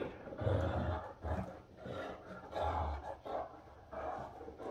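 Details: Two Great Danes, Rhapsody and Wächter, playing during morning fun indoors; low, rumbling growls come in rough bursts about every second or two, with scuffling in between.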